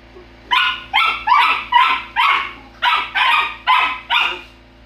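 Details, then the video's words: Quarrelling Golden Retriever puppies bark eight times in a fairly even series, each bark a bright, high-pitched yap about half a second apart. A constant low hum sits beneath them. "Golden retriever puppies bickering"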